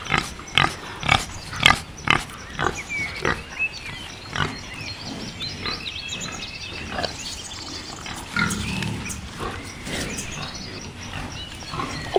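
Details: A wild boar (Sus scrofa) gives a rapid series of short, rough grunts that slow and turn irregular.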